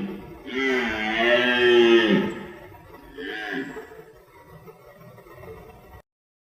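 A deer gives a long, nasal, wavering bleat, followed by a shorter second call.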